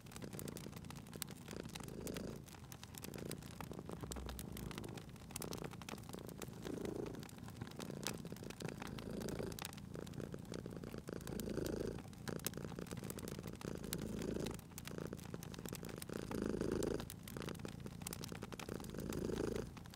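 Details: A sleeping domestic cat purring beside a crackling fireplace in cozy spring ambience: a low, rumbling purr that swells and fades with each breath, roughly every two and a half seconds, under constant sharp pops and snaps of burning wood.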